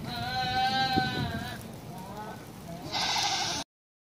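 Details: Bishi goat from a herd of nineteen, giving a long wavering bleat of about one and a half seconds with a rich, quavering tone, then a quieter pause and a shorter harsh bleat before the recording cuts off.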